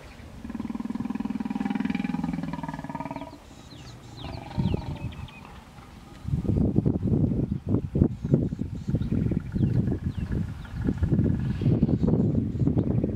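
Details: Hippos in a stand-off at the Vurhami River, Kruger National Park, South Africa, a female protecting her young from an approaching male; a sustained deep droning bellow, then rapid pulsing grunts and chuffs continuing for several seconds.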